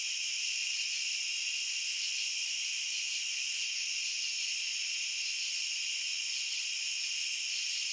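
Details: A steady wall of cricket chirping, high and shrill, stacked in several pitch layers that never break. A few tiny clicks flicker on top. Nothing else is audible.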